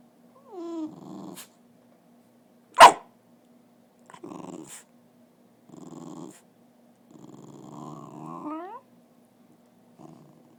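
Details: Dog trying to talk indoors: a series of growly, groaning vocal bursts, several ending in rising, whiny upward slides, separated by short pauses, with one sharp knock near the third second.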